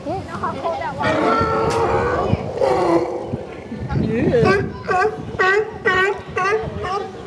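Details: Sea lions at Pier 39, San Francisco, on 29 January 2011 give loud, hoarse barks in quick repeated bursts, with a person barking back at them.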